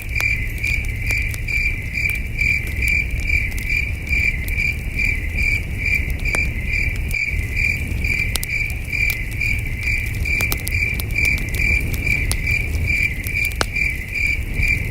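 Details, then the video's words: Distant crickets chirp through a starry night at a wilderness campsite, a steady high trill pulsing about twice a second, with occasional sharp campfire pops and a constant low wind-like rumble. "Soothing Cricket Sounds"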